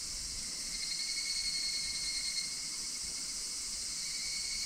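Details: August 2026 chorus of higurashi cicadas from the Minoo Park, Kawachinagano and Koyasan area of Japan; a sustained, high, metallic ringing with several stacked steady tones and a faintly wavering texture throughout.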